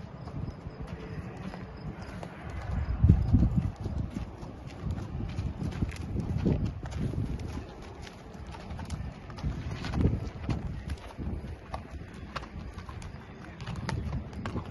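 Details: Six-year-old Thoroughbred mare trotting outdoors; soft, low, irregular hoofbeats fall at roughly three per second over a steady background rumble.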